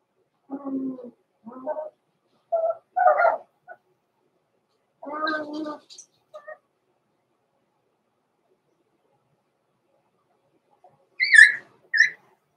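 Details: Blenheim Cavalier King Charles Spaniel puppies Roman and Blue, born November 14, 2022, in an indoor puppy pen at Christmas, give short whiny yelps in bursts over two seconds, then higher squeaky yips after a long quiet gap.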